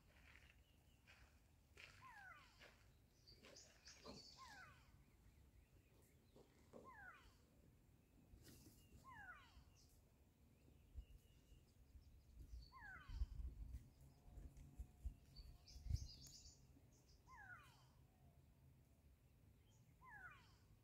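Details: A pack of African wild dogs, first seen in a play session and then settling down to rest, gives high, bird-like chirps that slide downward, repeated in short bursts over a low rumble.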